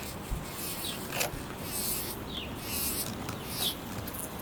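A bumblebee buzzes with a low, continuous hum that rises and fades slightly as it moves. Brief, faint downward chirps sound high in the background.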